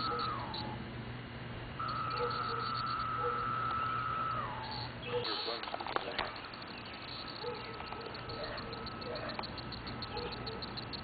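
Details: Cicada in northwest Indiana, brought back from Illinois and released onto a tree. A steady droning tone holds level for over two seconds, then slides downward at the end. Handling noise and a person's voice follow.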